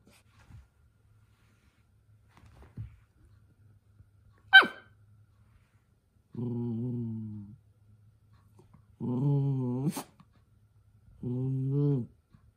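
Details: Toy poodle at home while causing a commotion and getting told off by its sister: one sharp bark, then three drawn-out low rumbling growls of about a second each, with faint scuffles and near-silence between them.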